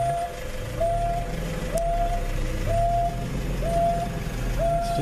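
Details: In Kruger National Park, an African wild dog gives steady, mellow hoo contact calls to gather pack members that have strayed far. Each hoo swoops up briefly and then holds level, repeating about once a second over the low drone of an idling vehicle.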